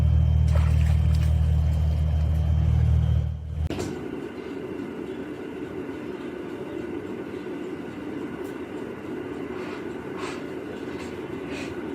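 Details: A low engine rumble stops abruptly, followed by steady indoor background noise with a few faint clicks and no animal sound.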